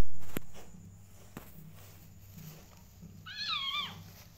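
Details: Mother cat, possessive of her kittens, gives a single short wavering meow near the end, faint against a steady low hum and a few soft knocks.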